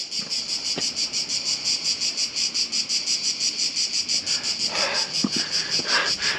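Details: On the stone walls of Ston in southern Croatia, cicadas are everywhere and loud; a piercing high buzz pulses steadily about three times per second, with scattered footsteps and light knocks from walkers below.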